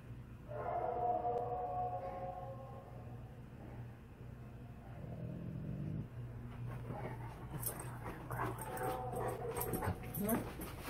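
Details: Tonka, an Alaskan Malamute, reacting to a Bigfoot recording: a wavering, harmonic howl-like whine in the opening seconds, then low grumbling sounds, followed by louder mixed noises and rustling.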